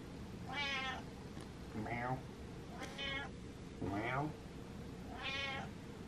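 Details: Cat meowing to demand attention, five drawn-out harmonic meows spaced about a second apart, some rising then falling, with a faint low room hum underneath.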